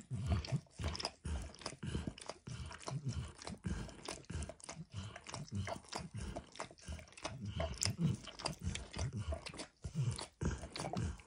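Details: Pet dog Max licks eggs and diluted peanut oil off a bumpy orange mat; loud, rapid slurping and smacking strokes that continue almost without pause, with brief breaks between runs.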